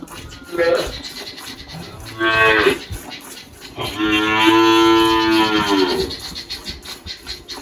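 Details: Girolando cow Malhada, 18 years old, on a farm near Anápolis, Goiás, Brazil, March 2023, shortly after giving birth: a brief low moo, then a longer swelling one, with scratchy rustling and background noise throughout.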